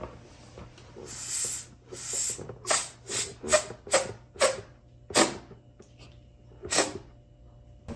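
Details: Shiba Inu Sora, a dog of nearly four years living in a small town in the Canadian Rockies, cautiously inspects its birthday balloons indoors: a run of short, breathy, hissing sniff bursts, about a dozen in eight seconds, spaced unevenly.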